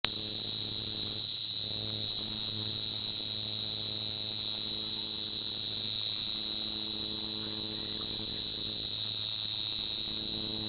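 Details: A male cricket stridulates at night, rubbing its front wings together to attract females: a loud, steady, high-pitched trill that runs without a break.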